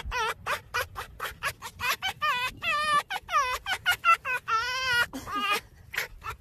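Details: Red fox making a laugh-like sound described as resembling human laughter: a rapid run of short, wavering, harmonic yelps at about two per second, with several longer drawn-out quavering notes in the middle, over a quiet background.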